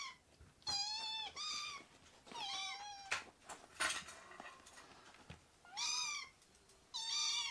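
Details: Rescued baby kittens indoors, playfully jumping onto a man's leg; high, bright meows, each rising then falling, come in short bursts of about half a second, roughly five calls with quiet gaps and soft rustling between.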